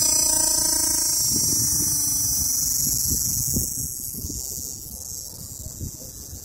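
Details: Cicadas in the area of Popocatépetl volcano give a steady, shrill, high-pitched buzz that carries without a break.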